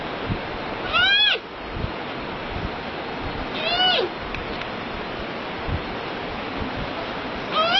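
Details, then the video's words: Panda giving three short wavering bleats spaced a few seconds apart, each sliding down in pitch, with a continuous noisy hiss in the background. "PANDA SOUND EFFECT 판다 울음소리"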